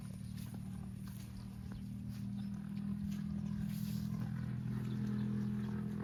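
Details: A cow eating grass in a park gives a steady, deep, droning moo that swells in loudness over the last few seconds, against a constant low rumble of background noise.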